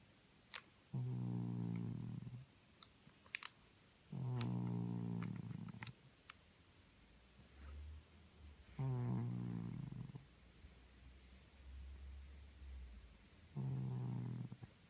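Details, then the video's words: Sleeping domestic cat Simpson, a Felix look-alike, snoring indoors: four deep, buzzy, rattling snores, each over a second long, coming roughly every four to five seconds, with brief low rumbles and soft clicks in between. "Our Lazy Snoring Cat"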